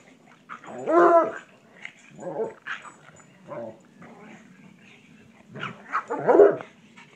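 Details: Bloodhound and pug playing together in a yard, heard in short bursts of gruff, growly barks and play vocalizations, with loud peaks near one second and six seconds and quieter grumbles between.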